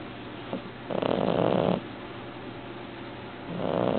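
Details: Devon Rex cat snoring loudly while asleep indoors with its eyes open; rough, breathy rasping snores, one long surge of nearly a second, then quieter breathing, then another snore starting near the end.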